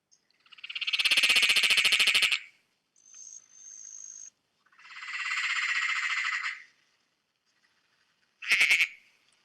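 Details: Peron's tree frog, called the mad laughing frog, a big tree frog with sticky toe pads from the City of Whittlesea area near Melbourne, Australia, gives loud, rattling cackles: long, rapid pulsed bursts like manic laughter.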